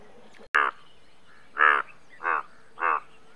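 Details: Indian bullfrog giving four short, harsh, nasal croaks spaced about half a second to a second apart, preceded by a sharp click, over a quiet background.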